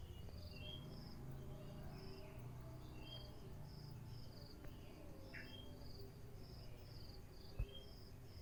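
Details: Crickets in the morning: short high buzzy chirps repeated about every half second over a steady low rumble, with some brief bird-like whistles and swoops mixed in.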